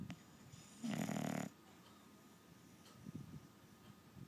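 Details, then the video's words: Dog asleep, giving a single harsh, low snore lasting about half a second amid quiet breathing in a small room. "Snoring dog"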